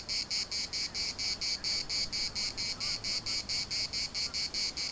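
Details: Larnaca municipal park cicadas produce a dense, high-pitched buzzing song broken into quick even pulses, a little more than two per second, with a faint low hum in the background.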